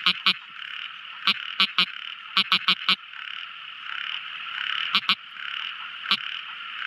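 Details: Tiny frog calling at night: short, sharp clicking notes, mostly in quick pairs or groups of three to four, spaced irregularly about a second apart, over a steady hissing background chorus.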